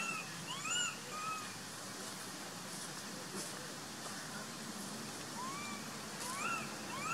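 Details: Abandoned baby monkey Sovana crying to be taken back into her troop. Scattered high, arched squealing cries sound several times across the stretch, some doubled, over a steady hiss of outdoor background noise.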